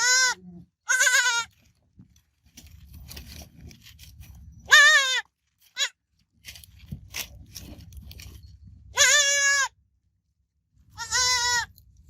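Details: Baby goat kid bleating in four high, quavering bursts of about half a second each, spaced irregularly over twelve seconds, with soft low rumbling and handling noise between calls.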